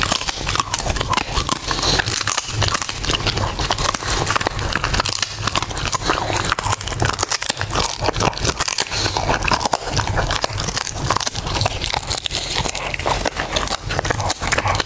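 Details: Pet dog eating, recorded close up in ASMR style: dense, continuous crunching and clicking bites with steady loud chewing throughout, no pauses.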